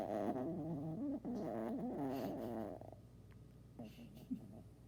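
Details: Tired dog snoring: a long, rough, wavering tone for about three seconds that then fades into softer, quieter breathing with a few faint snuffles.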